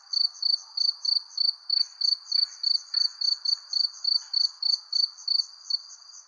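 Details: A cricket chirps in steady, evenly spaced bursts of high, pure trilling pulses under a persimmon tree as the sun sets.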